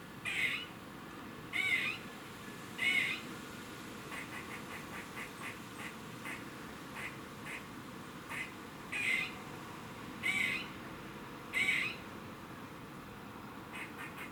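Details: Squirrel in Cambridge, UK, 27 September 2019 at 3:16 pm making its warning noise: loud nasal rasping calls about every second or so, alternating with series of quiet quick chucks, steady background hiss.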